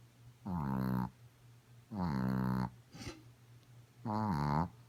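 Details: Female Chihuahua named Godiva asleep and snoring loud, as is her habit: three drawn-out, nasal, buzzing snores, each around half a second to a second long, separated by soft breathing pauses indoors.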